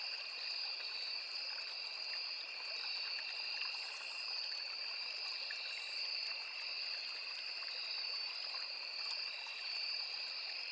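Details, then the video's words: Forest crickets by a small river hold a continuous high-pitched trill in two stacked bands, never pausing, while gentle running water hisses faintly underneath and a few soft clicks pass through. "Sound of Forest and Small River | Crickets, Cicadas, Insects"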